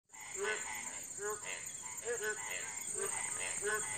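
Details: Indian frogs calling in small puddles beside a house after heavy first rain, during their breeding season: short harmonic croaks repeat about every 0.6 to 0.8 seconds over a constant high insect-like hiss.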